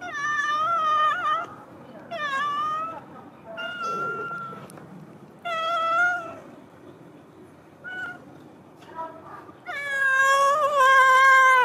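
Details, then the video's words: Big yellow cat waiting at the door outside as someone comes downstairs meows loudly and insistently, about seven wavering, drawn-out cries, the last long and strained, with quiet gaps between. "Every day when I go downstairs, the big yellow cat is waiting at the door outside."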